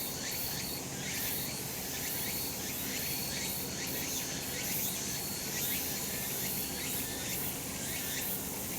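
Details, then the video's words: Cicada chorus on a summer mountain in the sun: a continuous high buzzing that never pauses, a faint steady whistle-like tone at times, and many short rising strokes repeating about once a second. "セミの鳴き声 夏の山 日なた"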